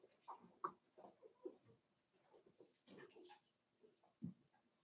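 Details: Five-week-old Cavalier King Charles Spaniel puppies in Daisy's puppy pen, giving soft, scattered whimpers and grunts in short irregular bursts, some pitched higher, with a faint hum of room noise behind.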